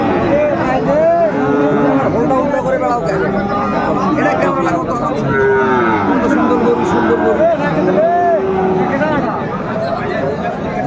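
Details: Moos from Sahiwal bull calves at a cattle market, 9 January 2025: repeated curved, mid-pitched lowing calls recur every second or two beneath steady human haggling and crowd hubbub.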